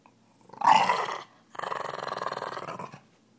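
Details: Boston Terrier Piper Jane gives two growl bouts while playing with a toy: a sharp, loud snarl, then a longer pulsing, rattling rumble that fades after about a second and a half.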